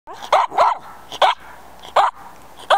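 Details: Schipperke during tracking training on a scent trail, giving five short, sharp barks at irregular intervals of roughly half a second to a second, with quiet background between them.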